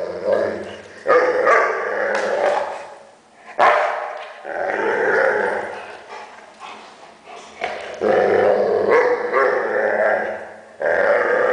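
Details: Weimaraner making funny noises: growly, grumbling moans and whines in uneven bursts, some long and sustained, others short, with a few sharp breaks between them.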